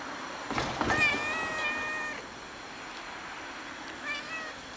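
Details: Fluffy, oddly colored male cat living alone outdoors, sitting on a gas enclosure and waiting for someone to give him food; one drawn-out, slightly wavering meow, then a shorter, softer meow near the end, over faint background hiss.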